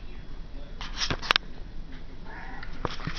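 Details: Dutchess, a domestic cat, demanding to be fed indoors: a short meow with a faint harmonic stack rings out near the end, after sharp clicks and rustling handling noises, over quiet small-room background.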